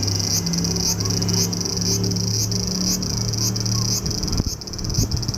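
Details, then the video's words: Japanese cicada in July: a steady high-pitched buzz with rhythmic surges roughly every half second, accompanied by a steady low droning hum and a few knocks near the end. "Japanese Cicada - Cigarra Japonesa"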